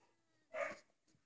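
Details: Labrador Retriever during obedience training, giving a single short bark of about a quarter second with harmonic, mid-pitched tone, followed by a faint softer sound; otherwise a quiet background.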